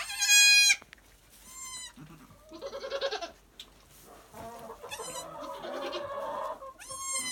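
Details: Two newborn Nigerian Dwarf goat kids, a male and his younger sister, about one hour old, born in July and weighing 2 and 3 lb. High, harmonic, wavering bleats come in short bursts, mixed with lower, softer bleating between them.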